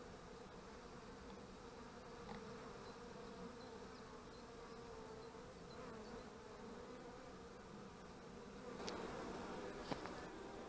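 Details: Honey bees at the hive on 25 March 2015, kept by a beekeeper: a steady, dense droning hum of many bees, with a few brief clicks and knocks late on.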